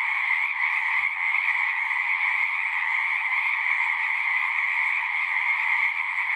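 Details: At a pond in a horse pasture, a large group of frogs keeps up a loud continuous chorus, recorded on a Zoom 6. High trills layer into a bright, unwavering drone, with a single soft thump around the first second.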